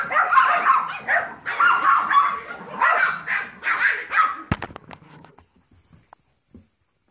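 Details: Yorkshire Terrier foster puppies at seven weeks old playing with Trouble, a Golden Retriever mix foster puppy; rapid squeaky barks for about four seconds, then a hard clunk and near silence with a few soft knocks.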